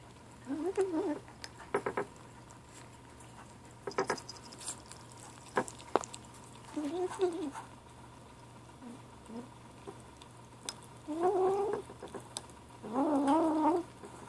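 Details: Gray 7-week-old kitten named Ashe making short murmuring mews while eating, several wavering harmonic bursts near the start and end, with clicks and patter of feeding in a quiet room.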